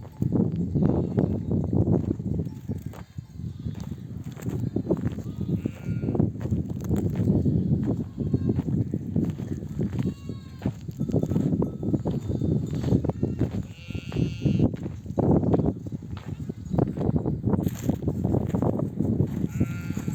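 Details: Nomadic flock of sheep back from desert grazing among oak trees, mother ewes bleating to call their lambs to nurse; many overlapping wavering bleats over a constant low rumble of trampling hooves and bustle.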